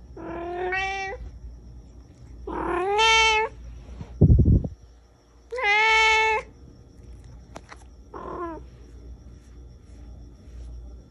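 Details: Indoor pet cat, described as talkative, meowing persistently at its owner: four drawn-out meows, some with a rising start, the last short and softer. A brief loud knock sounds between the second and third meow in an otherwise quiet room.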